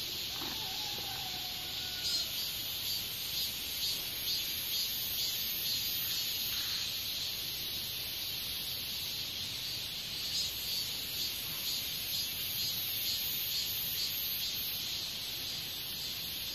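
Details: Hexacentrus japonicus japonicus katydid producing an unbroken shrill hissing buzz, bright and high, with slight pulsing swells in loudness through the recording and a brief faint whistle-like tone near the start.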